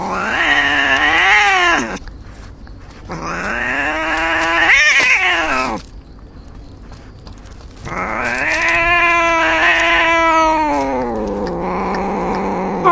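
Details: Injured cat yowling in three long, wavering drawn-out cries, each rising and falling in pitch with rich harmonic overtones, separated by short quiet gaps.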